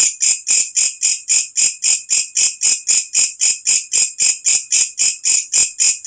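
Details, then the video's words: Katydid calling as night falls, a loud sound kept as a tutor recording for songbirds: shrill, buzzy rasping pulses repeated steadily almost four times a second, each pulse swelling then cutting off, with no other sounds. "walang kecek masteran untuk semua jenis burung"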